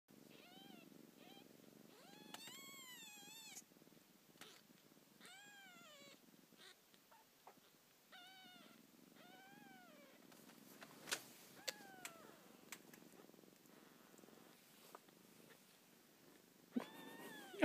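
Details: Little Gene, a kitten, meowing in her mother's ear indoors: a series of high, clear harmonic meows with rising-falling arcs, about ten calls over the span, with soft rustling between and a few clicks.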